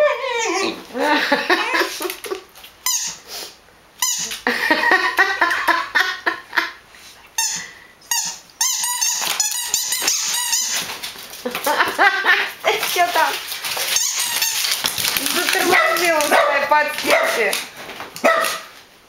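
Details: Dogs giving a busy, almost continuous stream of high, squeaky yelps and whines with wavering, bending pitch, several voices overlapping, broken by a few brief pauses.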